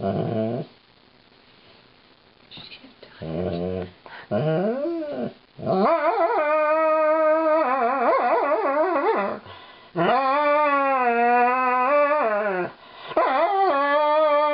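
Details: Female Alaskan Malamute named Lightning singing her brushing blues while being groomed; short whimpers lead into long, sustained harmonic howls that waver and bend in pitch, several drawn-out notes running for seconds at a time in a small room.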